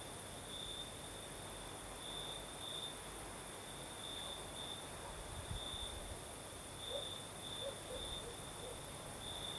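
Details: Southern Crimean night with crickets singing: a sustained high trill in evenly spaced bright bursts, with a soft breeze hiss and a few faint low thuds and scattered distant noises around the middle.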